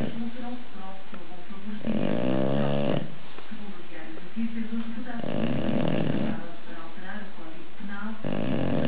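An English Bulldog snores in loud, rasping bursts that rattle with each breath.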